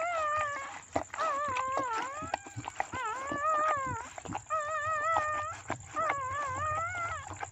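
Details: Whimpering howls while a black Chow Chow gives birth: wobbling, tremulous whines that rise and dip, about five bouts of roughly a second each, broken by soft clicks and rustles, over a constant thin high hiss.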